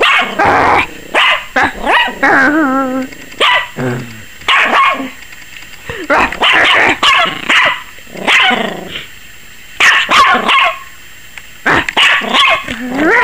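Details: A 21-week-old Yorkshire Terrier puppy barks rapidly and shrilly in sharp, high bursts, sounding frightened, possibly scared of the camera.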